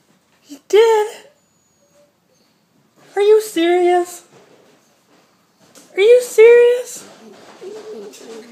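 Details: Italian Greyhound (Canis familiaris) howls and cries in three mournful, wavering bouts, upset at being left home alone while his big sister goes out for a quick walk; separation distress.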